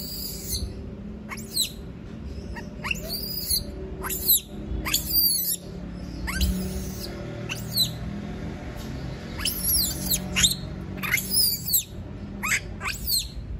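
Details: Monkey crying out at being left alone: repeated high, piercing screams that fall sharply in pitch, some doubled, coming in irregular bursts over a low rumbling background.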